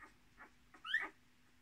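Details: Whimpering Miniature Australian Shepherd puppy, one of a litter of six kept with their mother, born 10 March 2020: a few soft muffled sounds, then a louder whining squeal that bends upward and drops away, with a faint steady hum.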